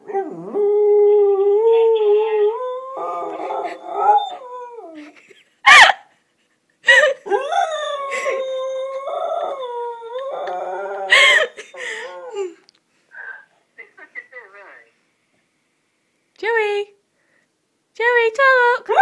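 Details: Pet dog howling at a phone, voice rising and falling in long wavering tones from the start, then another drawn-out howl about seven seconds in, followed by short broken yelps and brief howl fragments near the end.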